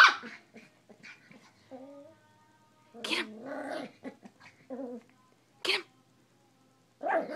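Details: An eight-week-old miniature schnauzer puppy gives short growly yips and barks while playing with pink cat toys as a person urges it on.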